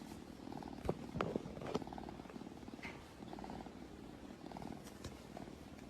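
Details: Domestic cat purring steadily, a low rhythmic rumble pulsing in regular bursts, with a few sharp clicks and knocks early on.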